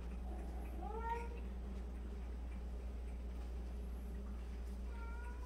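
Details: From a household of 76 cats, one of which washes the others' faces every day: a rising then falling meow early on, a quieter level meow at the end, steady low electrical hum throughout.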